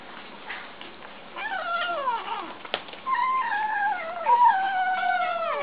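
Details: Kittens making funny noises while eating: a run of whiny, falling, harmonic squeals and mewing sounds, several overlapping and sliding downward, with one sharp click partway through.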